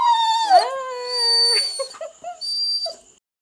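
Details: Female Rhodesian Ridgeback fussing with a sustained howl that dips and rises early, then holds steady before breaking into a few short whimpering yelps.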